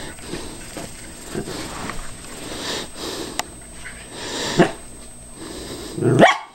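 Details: A Cairn Terrier barks while cautiously attacking a callous remover that is not running. Soft sniffing and scuffling noises lead to a single sharp, loud bark burst near the end.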